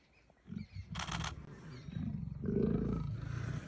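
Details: Leopards playing in Kanha National Park: short, low rumbling growls begin after half a second, a sharp broadband scuffle bursts in near the one-second mark, then a longer, rougher growl swells toward the end.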